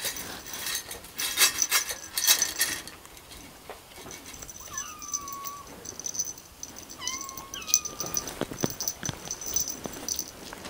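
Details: Persian kittens in Srinagar, Kashmir, recorded 18 February 2019; several short wavering meows around the middle, with a steady high whine, clattering noise and faint music.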